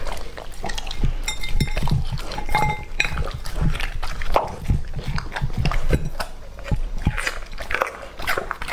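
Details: Raw food being eaten by Lucky, a two-and-a-half-year-old male English Labrador Retriever: wet, squelching chews and scattered crunches with low knocks. A brief tonal, voice-like sound appears near the start.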